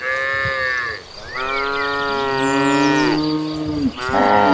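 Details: A herd of hundreds of tame cattle walking toward the pasture; several moo at once in long, drawn-out tonal calls that overlap across the herd.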